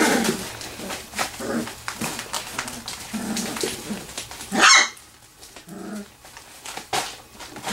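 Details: Wirehaired Pointing Griffon litter, three weeks old, at play inside a garage whelping box. Small puppy barks and brief yelps come in scattered bursts, one loud sharp squeal near the end, with rustling and knocking between them.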